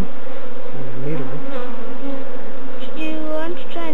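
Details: Swarm of African honey bees (Apis mellifera scutellata) being collected in Kenya, East Africa; a continuous low buzzing drone that runs throughout, with a man's and a child's voices talking over it.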